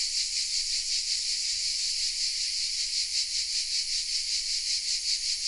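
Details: Cicada song from oak trees in Vézénobres, south of France: a continuous, intense, high buzzing wall of sound with slow regular swells in loudness and nothing else audible.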